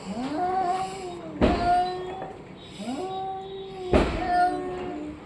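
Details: Orange and white domestic cat meowing in arched, nasal calls about once a second, broken by two loud knocks and low room noise.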